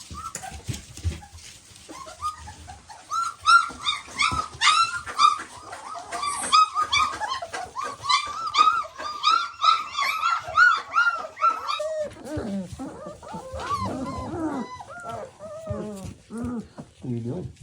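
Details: Three-week-old puppies after feeding, staggering around, give a run of high whimpering squeaks and yelps that rise and fall, repeated rapidly and overlapping, then lower grunting whines toward the end.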